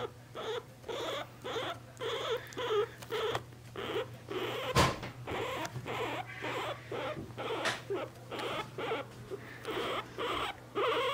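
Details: Pet guinea pig squeaking while being held, giving a steady series of short, bright, pulsing squeaks about twice per second with brief pauses, plus faint handling rustles and one sharp click midway.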